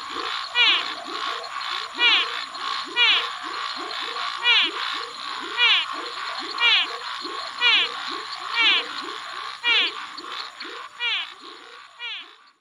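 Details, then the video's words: Brazilian frogs calling in a chorus: bright, sweeping chirps repeat about once a second over a dense layer of short, lower croaking notes. A steady high hiss runs underneath throughout. "Frog sounds compilation"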